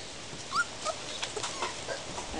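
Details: Puppies let out into a play yard for the first time, giving a couple of brief, thin, high squeaky whimpers early on, then quieter shuffling and faint scattered noises.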